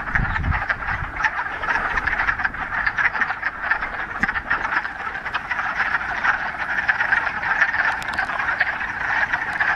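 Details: A pond full of frogs in the Ramapo Mountains, mid-March, first warm day of spring after a week of rain; a steady, dense clucking chorus of croaks continues with little variation, a brief low thump at the start.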